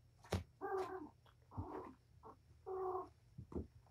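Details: Wound-up mother cat Patience at play with her litter of five kittens, indoors at Purrfect Pals; quick, bright meows, one chirp-like and others steadier, in close succession, with soft bumps between them.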